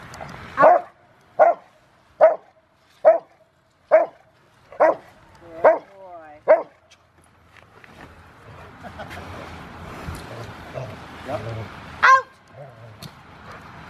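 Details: River v Schwarzerwald, a five-year-old male Rottweiler trained for a ZTP trial on February 16, recorded January 20, 2020: eight loud, sharp barks evenly spaced under a second apart, then a stretch of scuffling noise and one later bark.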